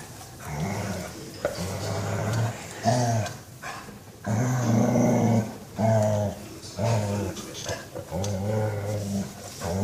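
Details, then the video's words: Beagle enjoying a massage gives a run of low, throaty groans and moans, some long and level, others short and bending, about seven in ten seconds, with soft rubbing noises between. "Beagle massage "oh sooo goood" funny sounds"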